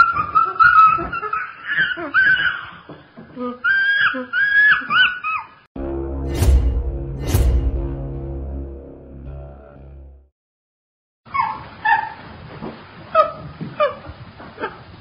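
Chimpanzee calls rise and fall in wavering, shrill hoots and screams, packed closely together. A low, humming musical passage with sharp clicks interrupts them before the excited calling starts again.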